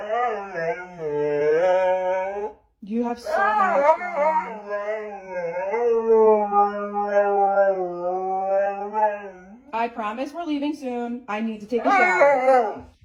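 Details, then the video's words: Siberian Husky howling indoors with a person speaking: long, sustained, wavering howls broken by short gaps, the middle stretch a steady drawn-out tone, followed by choppier, talk-like yowls near the end. "Crazy Husky Howling"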